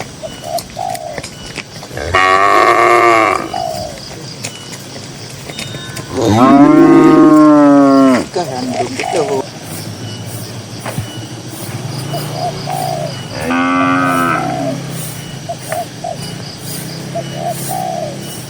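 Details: Tame herd cattle grazing in a green rural field moo three times over eighteen seconds: a buzzy call, a long loud drawn-out moo, then a shorter one, with soft chirping notes in the gaps.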